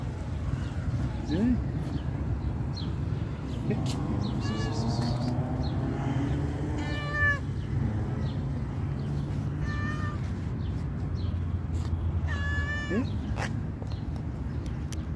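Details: Stray cat meowing outdoors in a street, giving about five drawn-out, harmonic meows spaced a few seconds apart, some rising then falling, over a constant low rumble of traffic and background noise.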